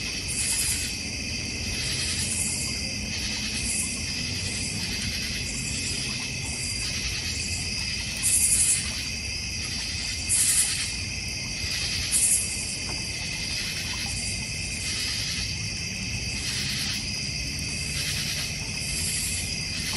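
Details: A backyard cricket chorus in the North Georgia Mountains, beside a koi pond and bird feeder. Continuous shrill layered buzzing with slow rhythmic swells, broken by three short, louder, very high pulsed trills near the middle.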